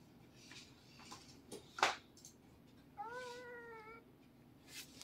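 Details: Siamese cats wrestling noisily together indoors: a sharp brief scuffling burst, then a single drawn-out, harmonic, slightly falling yowl lasting about one second, fairly quiet, with faint room noise and a soft snatch of speech around it.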